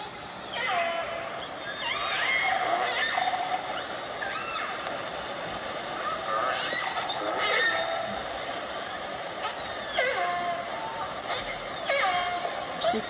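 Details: Recorded clan G dialect calls of the fish-eating Northern Resident killer whales (Orcinus orca), played at a whale museum in Telegraph Cove: squealing, sweeping pulsed calls over a steady underwater hiss.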